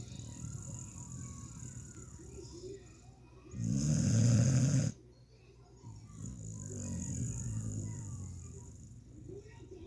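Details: Sleeping puppy snoring indoors: low, rumbling breaths repeating in a steady rhythm, broken by a louder, harsher burst partway through, with faint other sounds in the background.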